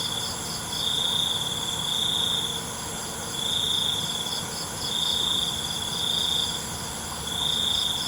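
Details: Nighttime crickets in a soothing nature recording: short shrill trills under a second long, repeated at irregular intervals, with a softer pulsing buzz higher up and a continuous high insect hiss behind.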